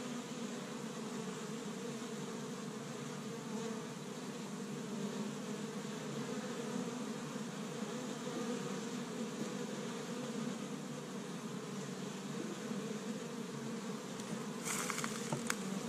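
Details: Honey bees busy at an established hive on the first warm day of spring in Michigan, gathering pollen from tree buds; a steady low droning hum runs throughout, with faint clicks near the end.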